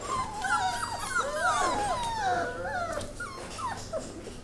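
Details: Labrador mix puppies, five of them, new to a foster home in HART's care, give a continuous tangle of thin, sliding whines and whimpers, several voices overlapping, over a faint low hum.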